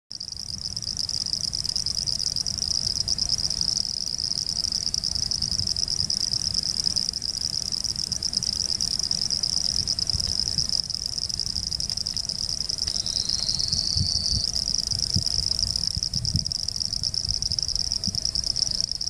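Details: Frogs, Pseudopaludicola falcipes and Elachistocleis bicolor, at Laguna Garzón, Maldonado, Uruguay, December 2019: a steady, high, insect-like buzzing trill runs unbroken throughout, with a brief lower-pitched buzz partway through and low rumbling noise underneath.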